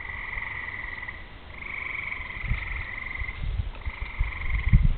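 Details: Frogs singing on a summer evening before rain, with fireflies flashing and thunder in the distance; steady buzzy trills run in long stretches, briefly dipping, while deep rumbling grows louder toward the end.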